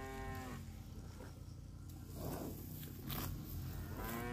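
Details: Grazing cattle wandering a grassy park: one low harmonic moo fades out at the start and another begins at the end, with muffled chewing and rustling between them.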